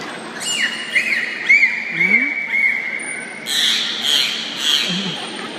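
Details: A bottlenose dolphin at Brookfield Zoo, during a dolphin show, gives a run of high, looping whistles and squeaky chirps in quick succession, made through its blowhole.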